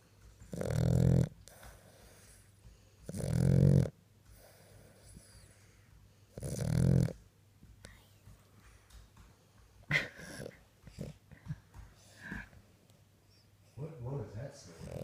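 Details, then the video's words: A sleeping French Bulldog snoring: three loud, low, rattling snores about every three seconds, then softer irregular snorts and snuffles, with a person speaking briefly. "Snoring Our French Bull"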